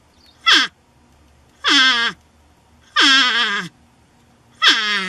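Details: Reluctant to leave a shed, a North American porcupine protests with four loud, wailing, harmonic cries, each sliding steeply downward, spaced roughly one to one and a half seconds apart, against a quiet background.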